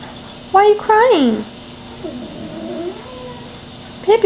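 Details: A pet cat indoors cries, upset at not being taken on a walk. Two loud, wavering meows come close together, then there is a quieter drawn-out whine and a final meow at the end. A woman's voice speaks over it.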